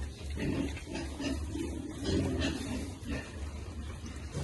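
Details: Piglets being fed, giving soft low grunts repeated in quick bursts throughout, over a steady low hum and rustling background.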